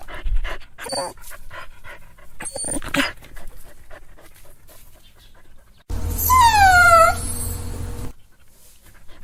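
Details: A sad dog's cry: after several seconds of clattering and rustling background noise, a single long whine glides smoothly downward, then the sound drops back to faint shuffling.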